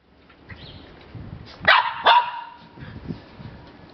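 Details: Border Terrier named Enza at a reunion with her mother Lisa, from the Bois Caiman kennel: two sharp loud barks close together near the middle, then soft rustling and low bumps.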